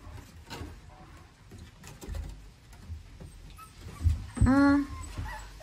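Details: Staffordshire Bull Terrier puppy from a litter of eight; a single rising-then-level nasal whine lasting under half a second near the end, amid rustling, scratching and a woman talking softly to the puppies.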